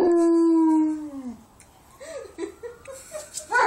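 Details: Mastiff singing along to passing sirens: one long, steady howl that slides slightly downward and fades after about a second, followed by softer, wavering tones.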